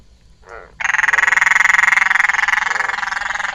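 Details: Frog at night during a frog-spotting outing in Thailand, giving a loud continuous rattling trill of rapid pulses, about three seconds long, preceded by a short softer note.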